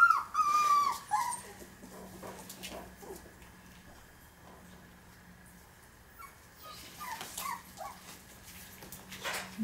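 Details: A Pinscher gives a drawn-out, high whimper that slides downward in the opening seconds, followed by faint short whines, with a steady low hum and quiet background music.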